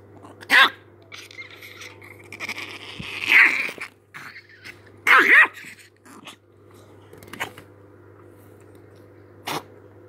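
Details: Angry chihuahua letting out scattered high yaps and a drawn-out whiny growl-bark, with pauses between, against a constant low indoor hum.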